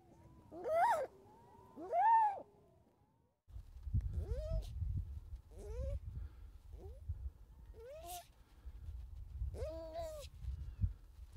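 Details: Baby harp seal calling: two loud, wavering, arched wails near the start, followed by several shorter, fainter rising-and-falling cries spaced a second or two apart over steady low wind rumble.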